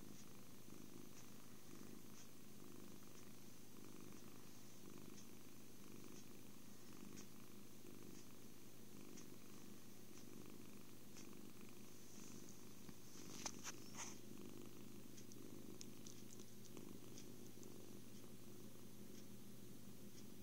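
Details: Happy kitten purring during cuddles, food and sleep indoors, a steady low rumbling purr with a soft pulsing rhythm that runs through the whole stretch, with a few faint clicks near the middle.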